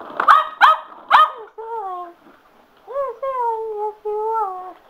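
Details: Sugar, a male Cocker Spaniel worked up over a spin mop, gives three quick sharp barks, then long, tonal, slightly falling whines drawn out for about a second each.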